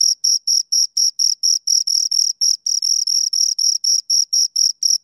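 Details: Two crickets chirping: steady high, shrill pulses, about four a second, each a short buzzy burst with a fainter higher overtone, continuing without a break against a silent background.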